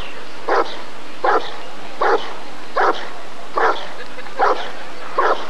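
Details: Rottweiler at the 1994 ADRK Körung breed survey, barking in a steady series: seven deep, sharp barks spaced under a second apart, with a faint background hum.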